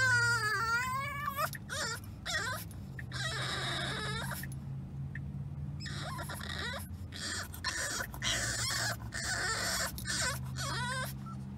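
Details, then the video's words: Unhappy French Bulldog puppy Remy whining in a moving car, opening with a long warbling cry that falls and rises, followed by repeated shorter whimpers and squeals over a constant low vehicle drone. "French Bulldog Puppy Whines During Car Ride"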